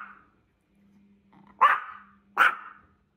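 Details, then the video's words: Small indoor Yorkshire Terrier, 1 year 8 months old, barking at a strange dog that got into the house: a faint opening yap, then two loud sharp barks spaced under a second apart, over a low steady hum. "В ДоМ пробралась чужая СоБаКа!!! ❤️Как маленький Йорк реагирует"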